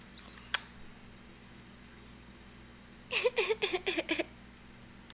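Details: Punkin, a female Ragdoll cat dressed as a pirate, utters a rapid string of about six clipped, chirpy meows, each bending up and down in pitch, over a steady fan-like indoor hum after a single sharp click.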